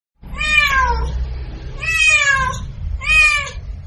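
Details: Domestic cat giving three drawn-out, harmonic meows, each falling slightly in pitch, about one second apart, over low background rumble.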